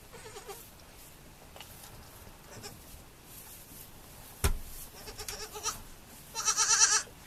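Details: Baby goats on a farm; a short bleat near the start, then clicks and knocks, and a loud wavering bleat near the end lasting about a second.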